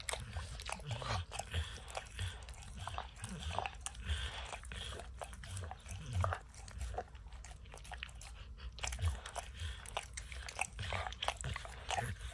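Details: Max, a dog, laps peanut butter and kibble from an orange mat he clearly enjoys. Steady wet slurping licks mix with crunchy bites and sticky smacks, loud and close, in a continuous run of clicks.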